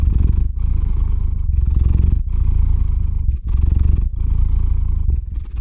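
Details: Domestic cat purring while falling asleep indoors, recorded close on a shotgun microphone: a steady deep rumbling purr in cycles of about one second, each broken by brief pauses between breaths, with no other sounds.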